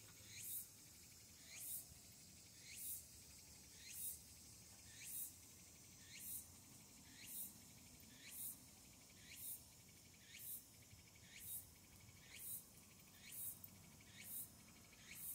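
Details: A Walker's cicada, just starting its season on the evening of 8 August 2022, the day after the calendar start of autumn, sings a bright, buzzy phrase that repeats about once a second.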